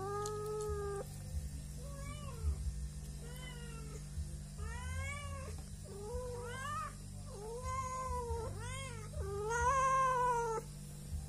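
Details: Three domestic cats, angry at not yet being fed and asking for food, in a rural setting, meow in a rapid overlapping series of rising and falling, harmonic-rich cries, some long and wavering, over a steady low hum.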